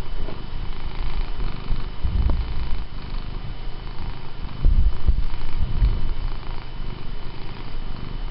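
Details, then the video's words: House cat purring, wanting more petting and pulling a person's hand toward its head when stroking stops. Deep, even, rumbling purr with slight swells in loudness, no other sounds clearly present. "Benny the cat really wants to be pet"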